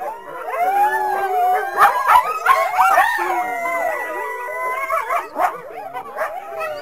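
A chorus of coyotes gives overlapping wavering howls mixed with sharp yips and barks.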